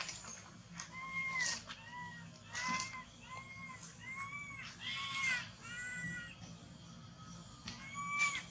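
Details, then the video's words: Orphaned-seeming baby monkey hugging a tree after losing its mom, shaking as it cries; a steady string of short arched whimpering calls, roughly one a second, with a low hum underneath. "Terrible Cry ! Baby Monkey Cry Shacking Body Hug The Tree Lost Mom"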